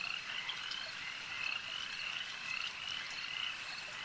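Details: Frogs calling at a lake: a dense, steady chorus of high, trilling croaks from many animals that overlap into a continuous shimmering band, with brighter pulses every second or so. No other clear sounds.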